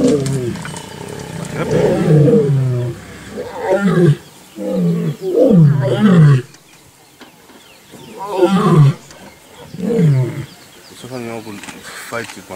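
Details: Wild lions of a pride in the Sabi Sand attacking and pushing out an unrecognised sub-adult cub, a male joining the scuffle; bursts of harsh snarling growls and roars in repeated loud fits, separated by short quieter gaps.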